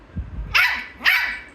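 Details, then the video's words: Angry Shih Tzu puppy wanting to be up on the bed with its owner gives two sharp, high barks about half a second apart, following faint low thuds. "Angry shihtzu pup wants to be up on the bed with his mommy"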